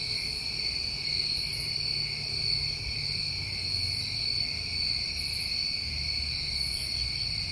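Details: New England summertime crickets in a steady night chorus: continuous high trilling drones layered in several even bands, with no breaks and faint buzzy pulses at the very top, over a low rumble of background noise.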